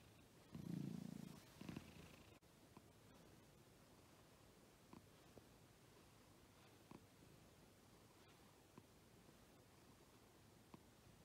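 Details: Pet cat purring, one of a household pair, Agu, a female American Shorthair, and Chappy, a male fold-eared Scottish Fold, shown with tongue out; a brief low rumbling burst near the start, then near silence with faint clicks.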